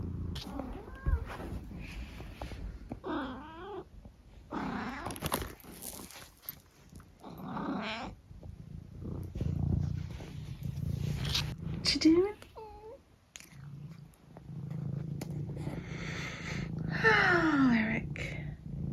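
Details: Eric, a pet cat trying out many noises during one breakfast time: a long series of varied meows, some wavering and yowling, some rising chirps, interspersed with low purring and household knocks.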